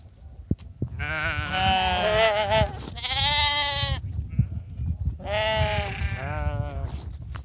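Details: Sheep at breakfast time as people call the flock over: three long, quavering, nasal bleats, the middle one loudest, with faint rustling and clicks between them.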